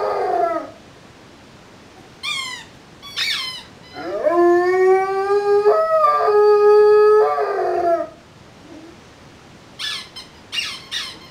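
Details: Rhodesian Ridgeback, three years old, howling wolf-like: short falling whine, two brief high yelping slides, then a long steady howl lasting about four seconds with a break midway, followed by a few sharp high yips at the end.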